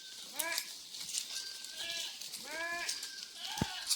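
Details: Thirsty farm goats in intense heat, brought out in the afternoon to graze; several wavering, quavering bleats with rich harmonics come in quick succession, with a constant high buzzing hiss and a sharp click near the end.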